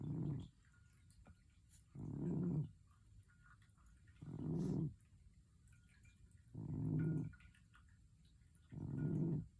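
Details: Sleeping cat snoring indoors: low rasping breaths repeated about every two seconds, five even snores in a steady rhythm, with a quiet background.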